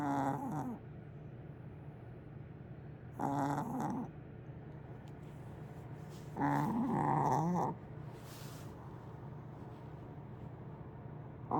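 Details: Willow, a cat, snoring in her sleep like a big dog; four rough snoring breaths at irregular intervals of three to four seconds, with a faint low background hum.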